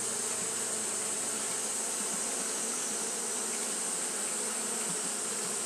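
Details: Japanese honey bees fanning nonstop on a hot day, giving a steady, dense buzzing hum with no breaks, over a constant bright high hiss.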